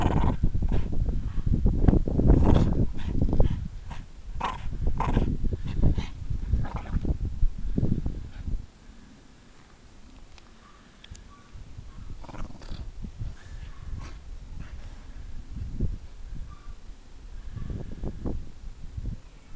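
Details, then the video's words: Irish Staffordshire Bull Terrier, a three-and-a-half-year-old female, playing: rough, gruff barks and growling grunts come in dense, irregular bursts for about eight seconds, then fade to quieter scattered snorts and grumbles. "Irish Staff barking and playing"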